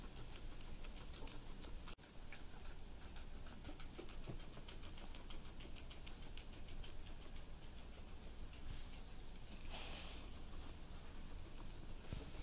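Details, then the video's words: Guinea pig eating cilantro: quick, dry crunching clicks in dense rapid runs throughout, with a louder burst near the start and a steady low hum underneath. "Guinea Pig Cilantro"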